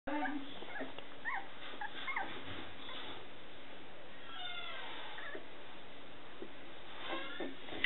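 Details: Scottish Terrier puppies, the babies of Etna, giving thin high squeaks and whimpers scattered through the clip, some rising, others falling, over a steady background hiss.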